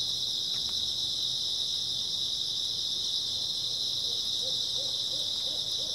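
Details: On an early autumn night, a dense, high, unbroken chirping of grass insects fills the background. Near the end a few soft, lower hoots begin, over a faint low hum.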